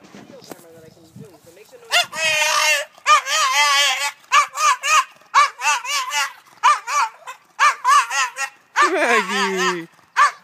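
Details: Bulldog protesting as owners leave for vacation: after soft murmured speech, a run of loud, quavering whines and howls in rapid bursts, pitch wobbling up and down, ending in a long falling cry.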